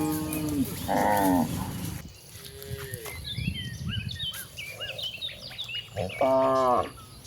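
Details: Cattle heading out to a very wide pasture give a low moo, then a pause filled with bright bird chirps, before another strong, wavering moo closes the passage.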